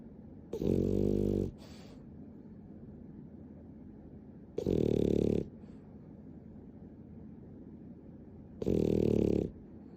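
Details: Ten-times-speed recording of the sleeping dog Nana, a spoiled pet, snoring indoors: three evenly spaced, loud buzzy snores, each about a second long, recurring every four seconds over a low steady hiss.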